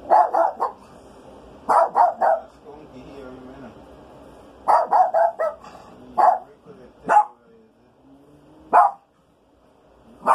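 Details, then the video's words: Maltese named Rico hunting for a skunk smell inside the house while it rains; high yappy barks come in quick bursts of three or four, separated by pauses of a second or two, with a few single barks and quiet voices between. "Maltese Dog looking for a skunk"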